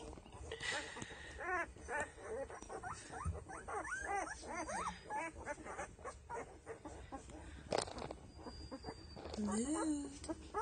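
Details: Penelope's litter of Doberman puppies at ten days old, eyes beginning to open, squeak and whine continuously in rising-and-falling arcs, with faint shuffling and handling noises and a brief lower voice near the end.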